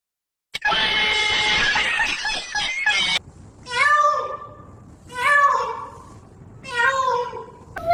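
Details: Female house cat's dramatic reaction to soap: a burst of harsh noise, then three loud, wavering meows roughly every one and a half seconds in a small room.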